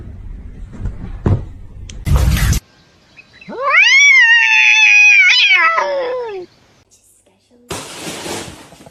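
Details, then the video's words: Kitten meowing: one long, drawn-out meow lasting about three seconds. It rises sharply, holds a steady tone, then slides downward at the end. Brief noisy bursts come before and after. "kitten meowing"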